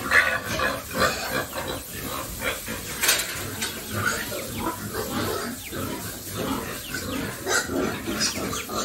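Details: Pigs raised on a family farm, a group of them grunting and squealing in overlapping bursts, dense and continuous, with sharp short squeals rising above low rumbling grunts.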